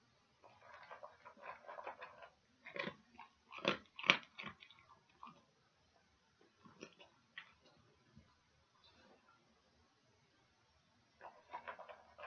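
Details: Dog chewing pig ears, recorded close up for ASMR: bursts of wet, crunchy clicks and gnawing, denser crackling clusters near the start and end, with quiet gaps between bites.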